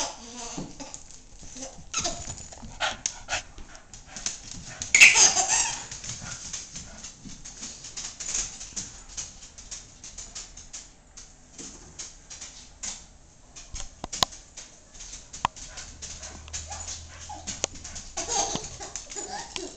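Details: A family's cocker spaniel named Bailey barks once strongly, then gives scattered softer yips and whines, with quiet household noise and occasional voices in the background.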